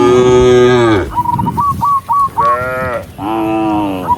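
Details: A huge herd of cows walking toward the barn moo in long, rich, droning calls, broken by a run of short whistled notes.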